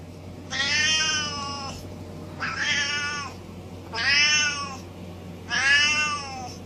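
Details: Feisty domestic cat making four evenly spaced, raspy drawn-out yowls, each about a second long with a slight falling end, over a constant low background hum.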